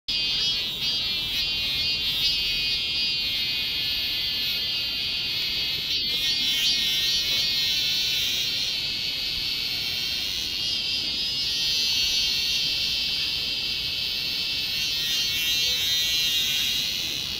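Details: Cicadas sing a shrill, unbroken buzzing drone holding steady at a high pitch in a church garden in South Korea, summer, 28 July 2020.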